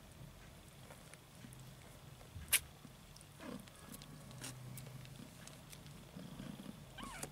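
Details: Purring from a mother cat and kittens as the litter fights over milk: a low throbbing hum swelling and fading, a sharp click near the middle, and a brief kitten mew at the end.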